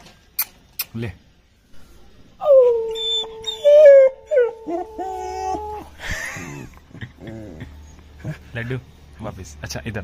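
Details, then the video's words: Five-month-old long-coated German Shepherd puppy indoors, reacting to an irritating sound: a steady howl held for about three seconds, then breaking, framed by a person's Hindi speech and calling before and after. "German Shepherd Puppy Howling!!!"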